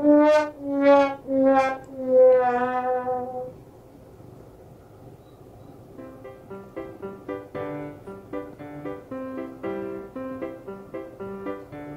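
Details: Brass music plays, with sustained horn-like notes at first, then a quieter stretch and a series of shorter repeated instrumental notes, and no animal sound.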